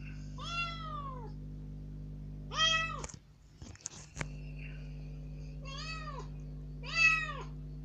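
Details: Rescued kitten, about three days after rescue, let out of its cage into a room for the first time, crying unusually loudly while demanding to go outside. Four drawn-out, arching meows, with a brief scuffling burst midway.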